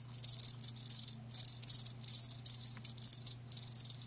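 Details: Live crickets chirping in a steady pulsed trill, high-pitched bursts broken by short pauses about every half second to second; faint low steady hum underneath.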